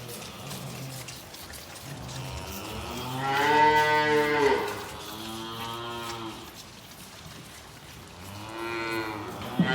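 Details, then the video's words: Calves in calf sheds at bucket feeding time, one giving a long, loud, wavering moo that swells then fades, followed by softer drawn-out moos, over a noisy barn background. "SIGHTS AND SOUNDS OF CALVES BUCKET FEEDING IN THEIR CALF SHEDS"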